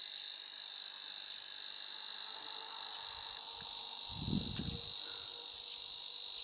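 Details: Steady high-pitched metallic drone of an Ezo cicada, with a brief low rumbling thump about four seconds in beneath the unbroken buzz.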